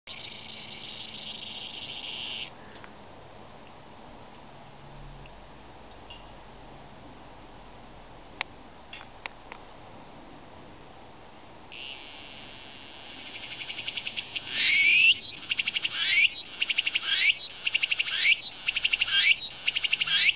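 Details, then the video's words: Tsukutsukuboshi cicada of Japan: a steady high buzzing drone, a lull, then the drone resumes and breaks into rapid repeated rising phrases, about four per second, closing the song. "ツクツクボウシ -- japanese cicada "Tsuku tsuku boushi""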